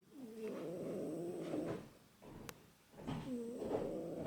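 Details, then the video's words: A sleeping tomcat snoring in two long, rough, buzzy breaths of about one and a half seconds each, separated by a quiet pause with a single short click. "Snoring Cat"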